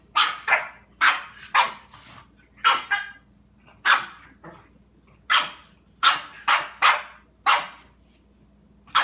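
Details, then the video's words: Domestic dog barking at a cat: sharp, loud barks in irregular bursts, often in pairs, roughly every half second to second, with short gaps between volleys; quiet room hum underneath. "Chili Dog versus cat"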